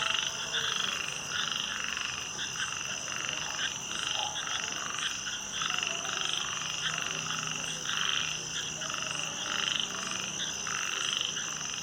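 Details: Frogs croaking together after dark in a thick, pulsing chorus. Rasping calls swell and repeat steadily over a continuous high-pitched trilling background.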